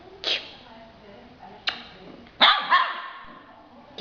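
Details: Yellow Labrador Retriever puppy, two months old, indoors with its owner, gives a few sharp, high yelping barks, one rising and falling in pitch, between quiet pauses, with a woman's voice talking to it nearby.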